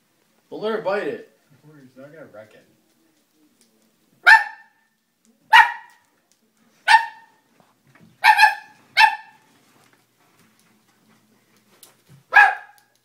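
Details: Dobermann barking: a short whining, voiced sound opens, then a softer murmur, followed by six sharp single barks spaced one to one and a half seconds apart against a quiet background.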